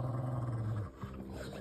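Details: Two Rottweilers, Bear and Luna, squabble over attention in bed; one gives a deep, rumbling growl that holds steady, then breaks off into rough grumbles; finding: Rottweiler.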